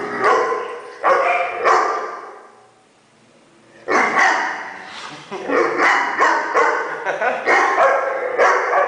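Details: Weimaraner making funny noises: a few short yelping grumbles, a quiet pause of about two seconds, then a quick run of choppy, whining yips and moans.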